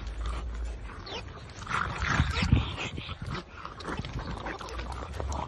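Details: French bulldog puppies getting feisty at play, giving short high yips and whimpering squeals in irregular bursts, with low rumbling and faint human voices in the background.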